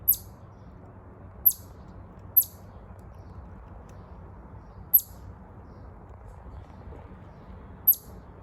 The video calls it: Chipmunk chirping sound.